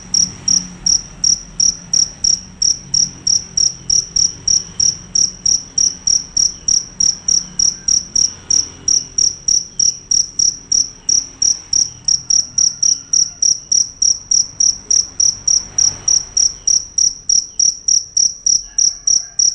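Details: Loud, unbroken calling from a fierce cricket: sharp high-pitched chirps repeated rapidly and evenly, several per second, throughout the whole recording over a faint low rumble.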